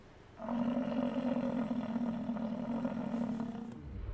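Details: An American bison in Canada gives a deep, sustained roar, a steady low rumbling bellow lasting about three seconds.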